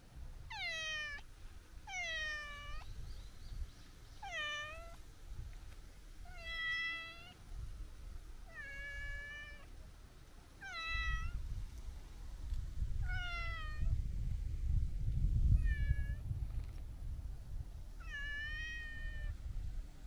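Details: Chatty long-haired brown tabby-and-white stray cat lounging at the seaside as it is stroked, giving a steady run of about ten falling, harmonic meows, roughly one every two seconds, against low wind and surf-like rumble.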